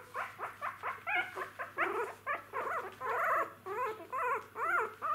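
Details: Jack Russell Terrier puppies, newborns that have just opened their eyes and are taking first steps; rapid run of squeaky, arching whimpers and yelps, about two per second, pitch rising then falling in each, indoor room with faint steady hum.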